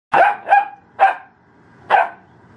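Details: Spunky 11-week-old female Ibizan Hound puppy showing attitude, giving four sharp, bright barks, the first two close together, then one after a short gap and a last one after a longer pause, in a quiet room.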